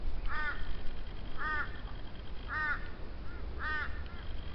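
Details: Frog heard in Tenterfield Creek on a creekside walk, giving four short, ringing, slightly arched croaks spaced roughly a second apart, with a steady low rumble beneath.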